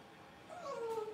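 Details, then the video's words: Blenheim Cavalier King Charles Spaniel puppy, one of a New Year litter of five kept in an indoor puppy pen, practising howling: a thin, tonal whine that wavers and slides downward over half a second, over a quiet room hiss. "Cute Cavalier Puppies Learn to Bark, Howl, and Play"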